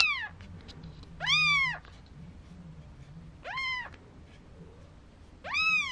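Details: Newborn Maine Coon kittens, four days old, at a Tokyo cattery; three strong arching mews, each about half a second long, spaced irregularly one to two seconds apart, above a steady low hum.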